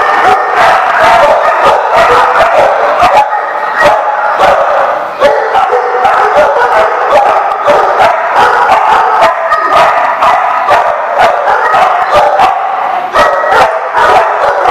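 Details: Dogs barking at a site called The Barking Lot on 7/11/14: a dense, nonstop chorus of overlapping sharp barks and yips from several animals, with no quiet gaps throughout.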